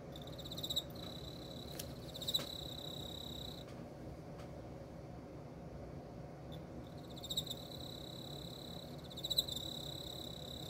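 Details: Emma field cricket during mating; high, buzzy trilled chirping in two bursts at the start and end, with a quiet gap between and a low rumbling background throughout.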